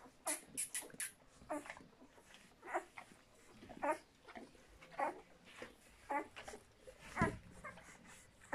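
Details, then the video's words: Puppies of the dogs Walking and Cartoon give short, high, squeaky whimpers and yelps in quick irregular bursts, roughly one a second, with quieter snuffling between them. "Chiots de Walking et Cartoon"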